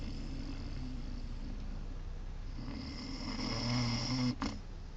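A sleeping Great Dane puppy snores with low, rumbling breaths that swell louder toward the end.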